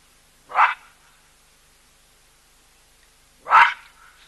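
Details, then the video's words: Baboons giving loud calls at a drinking place, where a skittish cheetah drinks alongside an elephant. Two harsh, barking calls stand about three seconds apart against a quiet background. "Baboons Loud Calls"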